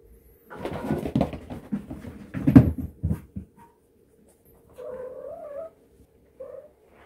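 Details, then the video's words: Domestic cat giving a short rolling mrrp, described as a pre-attack signal: a brief trilled chirp that rises and falls, then a second quick one, after a burst of loud scuffling and rustling indoors. "Mrrp logic : Pre-attack signal"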